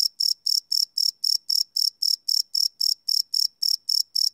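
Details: Crickets chirping at night, recorded live without loops on a Sony PCM D100 field recorder; sharp high chirps pulse steadily about four times a second over a silent background.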